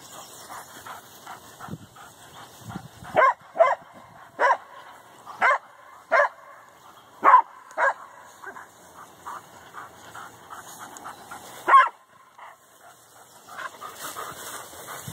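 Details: Several dogs at Canisolida bark on a morning walk on seeing cows across their fence: sharp loud barks roughly every half second to a second, strongest in the middle, with fainter yips and barks from other dogs behind.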